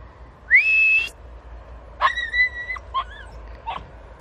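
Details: Podenco hunting dogs working a bramble thicket in Campo Arañuelo; long, high whining yelps that bend upward and hold steady, followed by shorter broken cries, over a low rumble of background noise.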